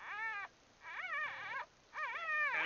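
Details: Newborn Bulldog puppies huddled together in the birth nest: three high, squeaky, arching whines, each about half a second long and separated by short pauses.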